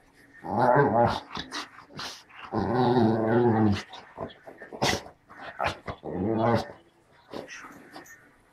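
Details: English springer spaniel "talking": long groaning, growly moans of one to two seconds, three main drawn-out bursts with shorter grumbles between, while an owner coaxes in Turkish.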